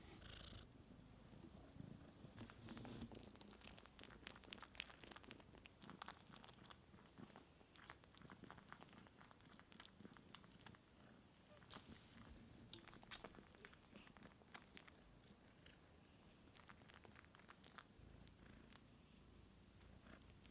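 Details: Indoors, the kitten Sunshine tries to nurse from her aunt Divine, who has no milk; a quiet, continuous low purr is broken by frequent small wet clicks and smacking from the dry suckling.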